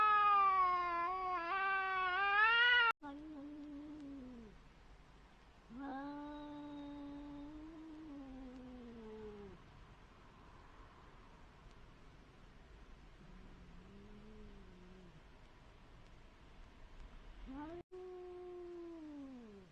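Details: Two cats meeting in a brief encounter; a loud wavering wail opens, then a series of long, drawn-out moaning yowls that rise and fall, separated by pauses, with a faint hiss of background noise.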